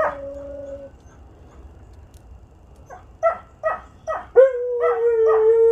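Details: Huskies howling together in a group session on a Sunday: an opening steady howl, then short yipping rising notes about every half second building into a long sustained howl with rich harmonics.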